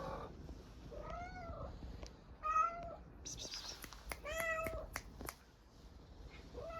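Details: Hungry stray cat in Istanbul, Turkey, meowing for food: several arched, whiny meows with clicks and taps between, a woman's soft Turkish voice briefly audible, then a faint final meow.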